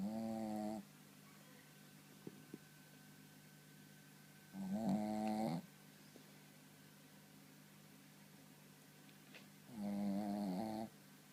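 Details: Shih Tzu, a male almost three years old, snoring loudly while sound asleep: three raspy, harmonic snore bursts about five seconds apart, each under a second long, with quiet breathing pauses between.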